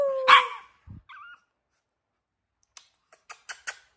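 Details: A four-month-old pug puppy, female, indoors in a small room, gives one sharp yipping bark with a falling tone, then a short faint whine; soft tapping sounds follow near the end.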